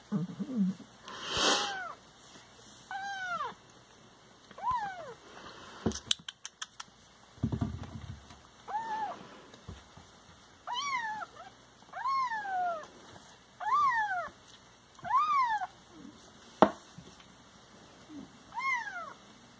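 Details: Siamese cats kept as pets, several animals, giving repeated arched meows that rise and fall, about one every second or two, with a steady background hum and a few clattering knocks.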